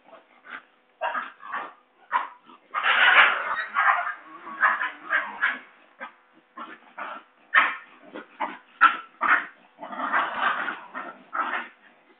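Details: Basenji puppies at a kennel in Saraburi, Thailand, playing, fighting and running to their mother, 6 February 2011; a busy series of short yelps and yips, some bursts longer and harsher, with brief pauses between.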